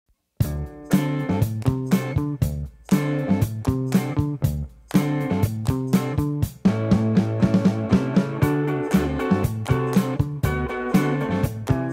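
Strummed guitar music with steady harmonic chords fills the recording, and no animal voice can be picked out.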